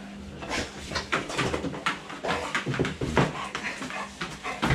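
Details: Eleven-month-old American Staffordshire Terrier greeting its family returning home after a week away, indoors in a small room; bursts of excited whimpering, snuffling and panting come in quick irregular pulses, with a person's voice briefly behind.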